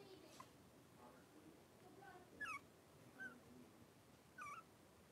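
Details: Blenheim Cavalier King Charles Spaniel puppies, three weeks old, in an indoor puppy pen, wrestling and playing; a few short high whimpering squeaks with wavering pitch, spaced about a second apart, over a quiet room hiss.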